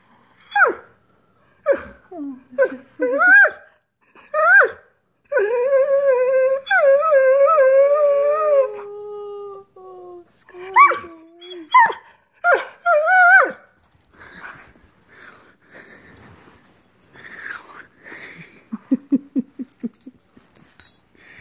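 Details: Scott Free the Greyhound, upset that dinner hasn't been served, mixes short yelping barks with a long sustained wavering howl-like moan, then quieter whimpers and a low rapid grumbling near the end.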